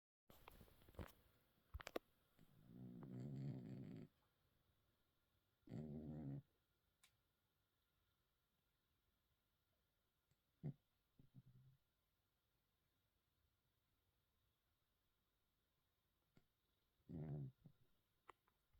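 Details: Hermann the cat sleeping and dreaming, giving soft low snores: a long rumbling breath near the start, then shorter snorts spaced several seconds apart, with quiet pauses between in a small indoor room.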